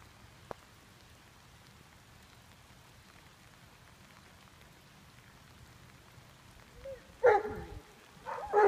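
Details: Nash, a young Greater Swiss Mountain Dog working as a junior herd dog, gives two loud, harsh barks near the end, after a long stretch of steady rain-like hiss with one faint tick early on.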